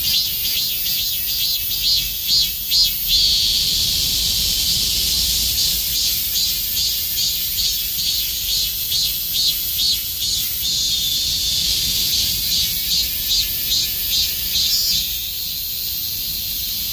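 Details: Summer chorus of a Robust cicada, shrill high buzzing song chopped into quick regular pulses about two per second, running steadily before settling into a smooth drone at the end.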